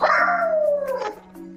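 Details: A two-year-old male Dachshund, filmed on an indoor camera while left home alone in Hampshire, gives a long, sliding howl that drops steadily in pitch, voicing distress at being left alone.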